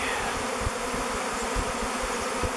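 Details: Thousands of swarming honey bees in flight descend onto the face of a log hive and file in through its mouth entrance. A loud, thick, unwavering buzz fills the moment, with faint low thumps.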